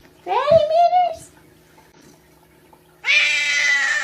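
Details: Kittens fighting; a drawn-out wavering meow, then a pause, then a harsher, noisier yowl lasting about a second, indoors.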